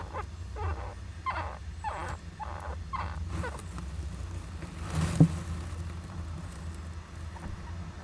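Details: Young Japanese giant flying squirrel in an owl nest box, 19 July 2010, with a parent nearby. About six short, harsh, harmonic cries come in quick succession over the first three seconds, then a single sharp broadband burst. A low steady hum runs throughout.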